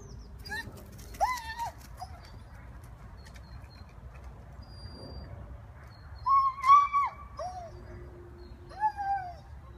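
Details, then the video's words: Rhodesian Ridgeback Hera, a 16-month-old dog in Gunnersbury Park, London, talking to squirrels: three bouts of arched, whiny, yodel-like vocal sounds a few seconds apart, with faint bird chirps behind. "Rhodesian Ridgeback Hera talking to the squirrels"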